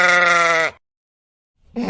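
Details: Sheep giving a loud baa, a strongly harmonic steady bleat lasting under a second that drops off, then silence, then the start of another bleat at the end.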